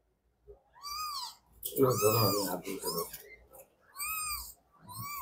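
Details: A litter of three-day-old kittens calling together with clear, arched, high mews repeated about every second or two. A person's voice briefly covers the calls in the middle.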